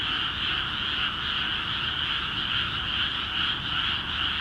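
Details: Flooded rice fields in Akiha Ward, Japan, filled with frogs calling vigorously; overlapping croaks merge into a continuous, throbbing wall of sound with a rapid, slightly uneven pulse and no other voices or noises standing out.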